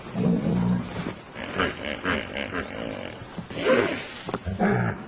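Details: African lions of a pride at night: deep, rough growls open the clip, then a gap with faint rumbling and more short harsh growls near the end.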